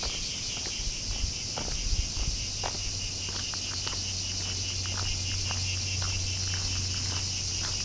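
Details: A bear cicada shrills through the summer heat of the holiday season. Its steady, piercing high-pitched drone runs unbroken, with scattered clicks and soft footstep-like thuds beneath.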